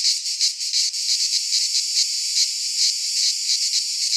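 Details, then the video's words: Cicadas sing in a Greek pine forest in midsummer, their high grating buzz swelling into irregular louder pulses over a constant hiss-like drone. "Cicadas singing in midsummer"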